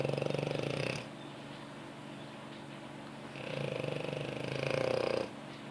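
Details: A French Bulldog snores while asleep on its owner's lap, two long, raspy, fluttering breaths separated by a quiet pause.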